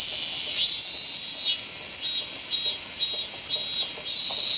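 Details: Robust cicada at Toyano-gata Park. A high droning buzz swells upward at the start, then breaks into a throbbing series of strong pulses, about two per second, over a constant shrill hum.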